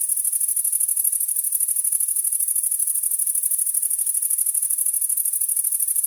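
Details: On a summer night in a rural area, a grasshopper gives a continuous high, hissing chirp, pulsing about three times a second, over ambient background noise.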